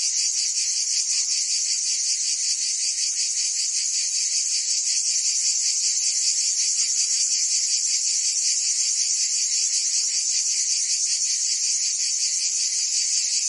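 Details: Cicadas singing in summer in Provence, France: a dense, unbroken high buzzing chorus, steady in loudness throughout, with faint pulsing texture and no other sounds standing out.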